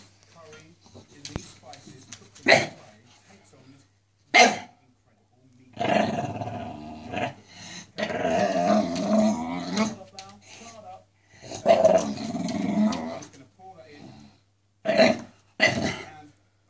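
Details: A Staffordshire Bull Terrier barking at a wire: loud, sharp barks in bursts and longer harsh vocal stretches around six to eight and twelve seconds, with a person talking nearby.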